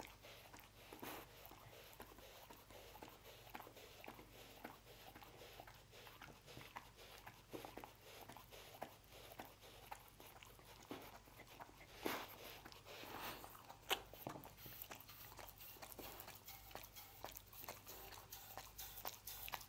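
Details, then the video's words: Dense, rapid chewing and lip-smacking as a dog works through roast beef in a small indoor room, a continuous patter of bites with a few louder crunches midway. "Dog Eating Roast Beef"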